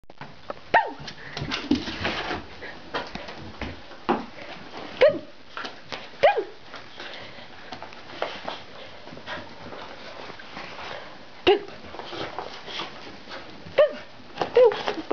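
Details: A Corgi at home indoors: short, sharp single barks scattered through the clip, about seven in all at uneven intervals, with household knocks and rustling between them.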